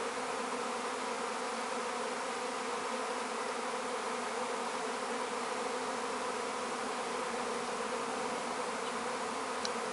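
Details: A secondary swarm of honey bees in the sky over a garden fills the air with a dense, steady, droning buzz.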